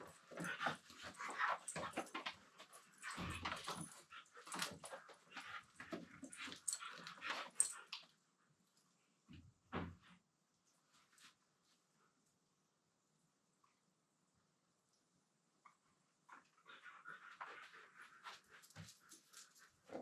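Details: Two Siberian Huskies playing together indoors, mouthing and wrestling on the floor, one talking in a low-pitched voice; bursts of grumbling, whining vocal sounds for about eight seconds, a quiet stretch, then more husky noises near the end.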